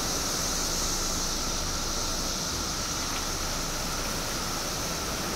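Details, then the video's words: Periodical cicadas emerging in Illinois after 17 years underground: a steady high droning chorus with a fainter lower whine, mixed with heavy broadband rushing noise throughout. "Billions of Periodical Cicadas Emerge After 17 Years Underground Cicadas Making Noise"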